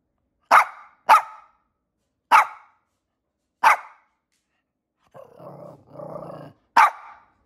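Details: A dog barking from her stroller: five sharp single barks spread across the stretch, with a low rumbling growl-like sound in the gap before the final bark.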